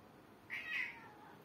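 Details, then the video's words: Pet cat, hungry and waiting to be fed, lets out a single meow that swells in the middle, then trails off with a falling tail, indoors and otherwise quiet. "the hungry cat's very noisy"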